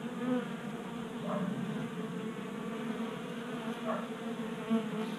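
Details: Honey bees feeding at a tabletop 3D printed feeder in a Colorado garage in January during a 60-degree warm spell. A steady layered drone of many wingbeats, with a brief louder swell as a bee passes close near the end.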